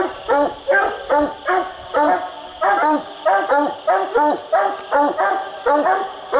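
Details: Coonhounds Boone and Bandit on a raccoon hunt, split treed on separate trees, barking: a steady run of loud, ringing barks, about three every two seconds, each with a short rising-falling bend, in a quiet night setting.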